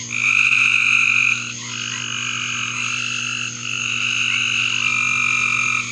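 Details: In a backyard, frogs produce layered high-pitched trills, each lasting a second or more and overlapping the next, forming a steady chorus over a low background hum.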